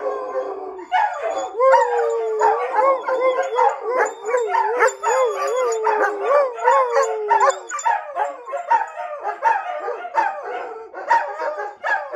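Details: Indoors, German Shepherds including female Lonnie, Major and a younger male howl together in long wavering tones with yips and barks mixed in, joined by dogs howling outside; German Shepherd.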